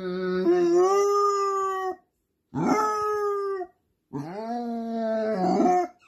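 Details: A male Basset Hound howls three times while his companion dog is away at the vet, each a drawn-out, mournful, rich-toned wail rising then holding steady before fading, separated by brief silent gaps.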